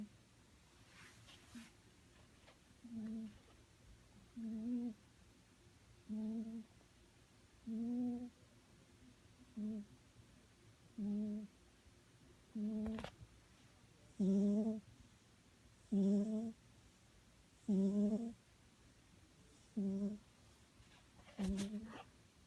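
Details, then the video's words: Sleeping cat snoring indoors: steady, low, humming snores with a buzzy, slightly rising tone, about one every one and a half to two seconds, thirteen in a row, with a few sharp clicks between them. "Snoring cat"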